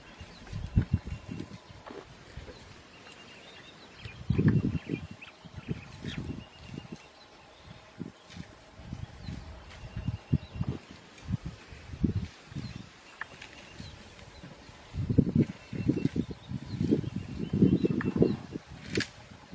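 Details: A mother and infant elephant give deep, low rumbles in bursts of a second or two, with quiet gaps between; finding: elephant.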